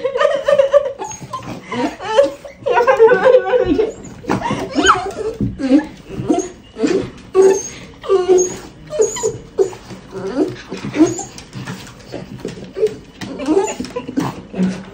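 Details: Seven-year-old Miniature Schnauzer welcoming at home a friend who once shared the house with it, excitedly whimpering and whining in rapid, high, wavering bursts, mixed with people's talk and laughter.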